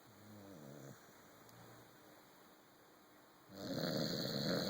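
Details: A corgi sleeping on a sofa snores with a low, buzzy, fluttering rumble, followed by a softer breathy exhale.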